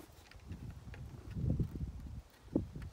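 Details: Low, pulsing purr from the cat Ovenmitt, stretched out on a garden table on an Irish farm in County Kilkenny and kneading contentedly; the rumble swells around the middle, with a brief soft click near the end.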